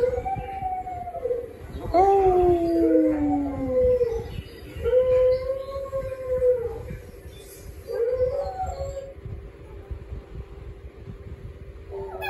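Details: A pet dog howling in long, wavering tones that slide up and then fall, several drawn-out howls with short breaks and a steady low hum underneath.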